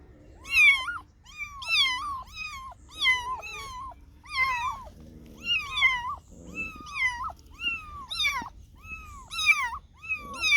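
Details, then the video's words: Kittens and cats meow almost continuously, roughly a dozen short, arched meows rising then falling, several callers overlapping, with brief low rumbling noises between some calls. "Funny Cats and Kittens Meowing Sound Effects Compilation"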